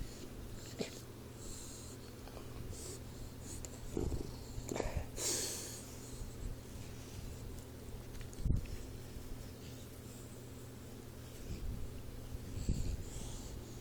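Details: Sleeping Boxer puppy Troy, four months old, gives scattered low, rough snorts and snores a few seconds apart over a steady quiet room hum, with a sharp click partway through.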